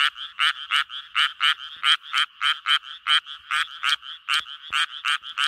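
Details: Japanese tree frog calling to attract mates with a string of loud, grating croaks in quick succession, each note short and buzzy, spacing a little irregular, nothing else audible.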